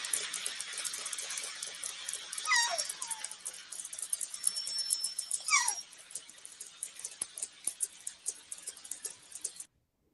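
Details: Southern Resident killer whales, a fish-eating population of the Pacific Northwest, give sweeping calls sliding downward in pitch over a steady crackle of rapid clicks, used to communicate and coordinate behaviour within the pod.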